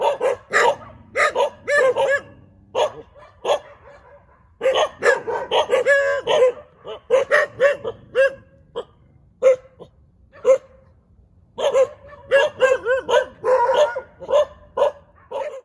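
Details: A group of dogs bark together in the middle of a road, with dense overlapping bursts of sharp barks, several brief lulls, and scattered single barks between the louder volleys.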